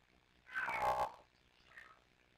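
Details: Kitten Sisko or Mila, filmed by a Tiny Kittens Society rescue cam, gives one loud drawn-out meow lasting about half a second, then a quieter short chirp follows, as the two kittens talk to each other.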